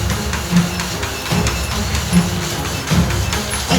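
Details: Rhythmic music with a thumping drum beat and wood-block taps fills the recording, with no animal sound.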